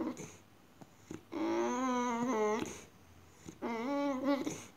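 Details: Female Boxer dog acting strange indoors, giving two long drawn-out whining moans, each a steady, slightly wavering tone lasting about a second, the first longer than the second, with short quiet gaps and faint room noise.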